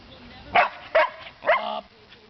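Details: Portuguese Water Dog females practising tricks for treats after playing outside on a beautiful day, urged to do the trick without barking; three short, sharp barks about half a second apart, with a person's voice saying "Up" nearby.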